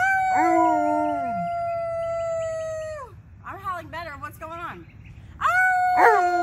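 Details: Two Alaskan Malamutes, Tonka and Monroe, howl on cue for St Patrick's Day; a long level howl ending in a drop, a stretch of wavering yodel-like cries, then a fresh howl rising strongly at the end.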